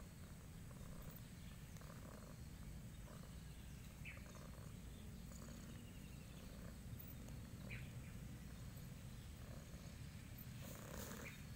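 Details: Very spoiled cat purring, its deep continuous rumble steady throughout, pulsing gently, with faint mid-range breathy bursts and a brief sharper rustle near the end.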